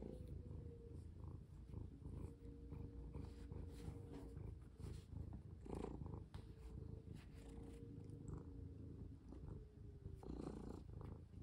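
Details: Domestic cat, one of two, purring as it is played with and has a hand rested on its paw. A strong, unbroken low purr dominates, with a faint wavering hum and occasional rustles.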